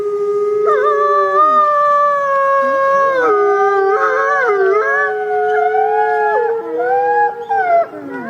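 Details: Wolf howls captured on a trail camera; multiple long tonal voices overlap with abrupt pitch jumps and wavering slides, fading briefly near the end.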